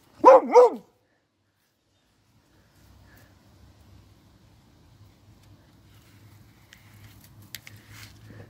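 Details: Bailey, a beagle in daily nose training, barks to signal he has found his dinner placed up high: a quick double bark of two sharp, tonal yelps, followed by near silence with faint low rumbling and a few distant clicks.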